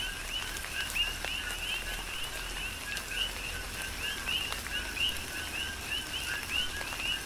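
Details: Chorus of coqui frogs during tropical rain on Hawaii's Big Island, with a dense stream of brief rising chirps from several callers over constant rain hiss and occasional sharper raindrop hits.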